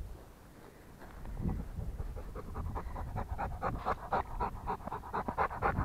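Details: Rottweiler panting. The breaths start softly after a quiet opening, then grow louder and quicker, roughly two per second, with a low rumble of background noise underneath.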